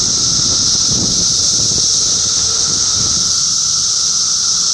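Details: Chorus of cicadas in Middlesex County, New Jersey, June 2013: a dense, unvarying high-pitched hiss-like whine holding steady for the whole stretch, with a thin lower hum and occasional faint low thumps underneath.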